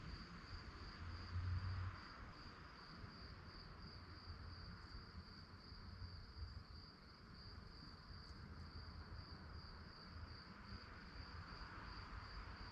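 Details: Crickets chirp through the night, with quick repeated high-pitched pulses roughly three per second, unbroken for the whole stretch, over low droning noise.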